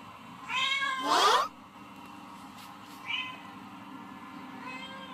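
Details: House cats Snoopy and Mickey hear cats meowing on TV. A drawn-out meow runs straight into a louder, strained one, followed later by a short high mew and a faint closing meow, over low hum.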